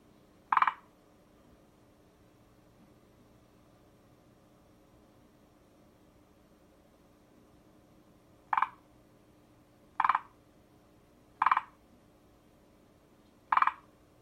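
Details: Forest green tree frog calling: short, sharp clicking notes, one isolated then a series of four spaced about one and a half seconds apart, over a quiet background with a faint steady hum.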